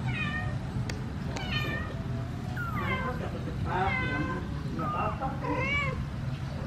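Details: A kitten trapped in a cardboard box and its mother cat meow to ask for help getting the kitten out. Clear, harmonic, arching meows repeat roughly every second, some high and bent, over a low background hum.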